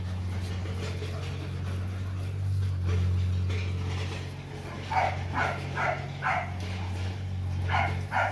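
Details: Four-month-old Rottweiler puppies from the Gervi kennel, offspring of imported sire TEDI and dam Dakota, playing together; after a stretch of low hum, a run of short yips and barks bursts out near the end, with a man's voice calling them.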